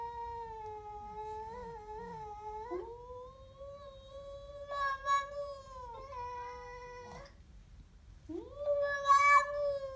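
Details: Siamese cat growling at a stray cat, uttering a string of long, tonal yowls with small wobbles, each held for one to three seconds and separated by short breaks, the last rising sharply and growing louder.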